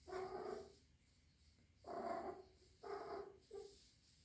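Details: Rescued three-month-old kitten kept indoors with adult cats, possibly in heat, gives drawn-out harmonic yowls, four in a row with short pauses between them, in a quiet room.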